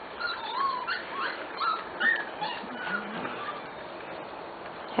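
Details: A special litter of Corgi puppies almost six weeks old gives a chorus of high, thin, wavering whines and squeaky yips that overlap one another, with short rising and falling notes over constant background hiss.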